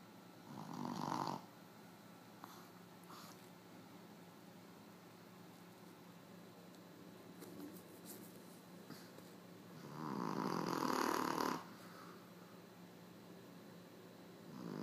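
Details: A female Boston Terrier snores herself awake with loud, rasping breaths separated by long quiet pauses.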